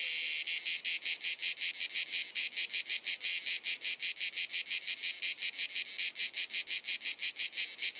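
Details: Cicadas singing on a hot sunny summer afternoon in Dalmatia, Croatia, recorded with a Panasonic Lumix camera: an incessant, penetrating, high buzzing chirrup pulsing steadily about five times per second with no gaps.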